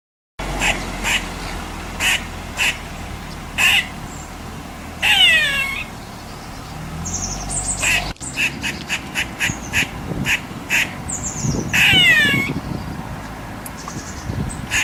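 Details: Squirrel calling: a series of short, sharp, noisy chucks spaced irregularly, broken twice by longer, warbling, descending squeals. Faint background noise runs throughout.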